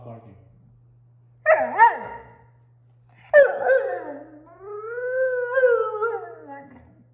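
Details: Tundra, a six-month-old female German Shorthaired Pointer puppy, talks back after being refused a trip outside: two short yelping whines, then a long wavering howl that rises and sags, with a man saying no and music.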